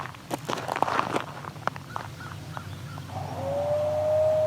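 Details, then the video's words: A chorus of eastern coyotes, the song dogs, outdoors: a burst of yips and short broken barks gives way to a long, steady, sustained howl rising slightly in pitch, over a low background rumble. "Yes, you just heard a chorus of eastern coyote, also known as the song dogs."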